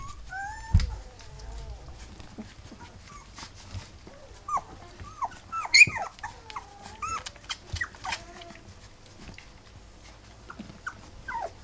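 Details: Three-week-old Rough Collie puppies with their mother Wallis, giving many short high whimpers and squeaks that rise and fall, overlapping in a busy litter chorus with soft rustling between.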